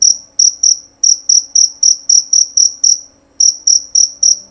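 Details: Male jerabang cricket chirping loudly and clearly: a steady series of short, high, shrill pulses, about four per second, with a brief pause near the end before the chirping resumes. Faint low hum in the background.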